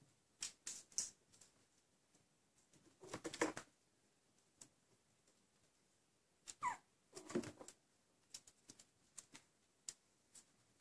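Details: Four-week-old Chihuahua puppies give soft, brief squeaks and whimpers between rustling and small clicking noises.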